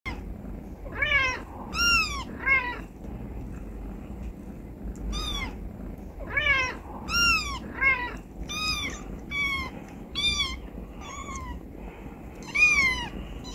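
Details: Stray cat family indoors, mother Charlie with four newborn kittens (three tuxedo, one black), sheltered in an office after a birth inside a car bumper; a dozen high, arching meows in quick irregular bursts over a low steady hum.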